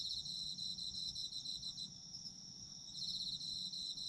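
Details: A chorus of autumn insects with continuous high, shimmering trills made of fast pulses stacked in two pitches. The chorus eases slightly in the middle and then swells again, with a faint low rumble beneath.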